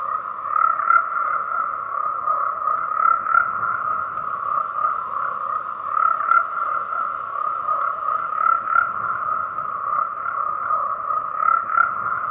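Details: Steady tree frog chorus: many overlapping croaks merge into a constant, mid-pitched rattling drone with slight pulsing, punctuated by a few faint high clicks.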